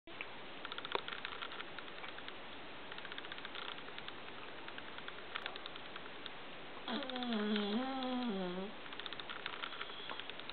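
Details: Luigi the cat snoring in his sleep, as he habitually does: one drawn-out, wavering harmonic snore of under two seconds late in the clip, after a long stretch of quiet room hiss.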